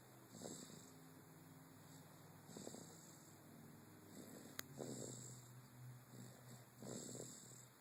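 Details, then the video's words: Sleeping dog Charlie Bear snores in a low, throaty, rhythmic rasp, each breath rising about every two seconds with a brief sharp click midway, against a constant thin background hum. "Snoring Charlie bear"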